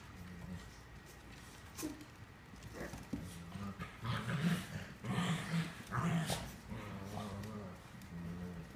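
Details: Seven-week-old Cavalier King Charles Spaniel puppies at playtime, all ganging up to attack their mother, give low, rumbling play growls and brief whimpers in uneven bursts.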